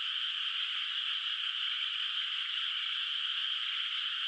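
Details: Countless frogs croak together through a moonlit night over an unplanted rice field, blending into one constant, high-pitched trilling hum that never lets up across the short stretch.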